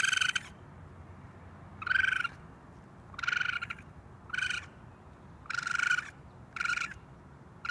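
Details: Baby raccoon on a roof screaming for its mother: six harsh, high, harmonic-rich cries, each about half a second, repeated every one to two seconds over a low steady background hum.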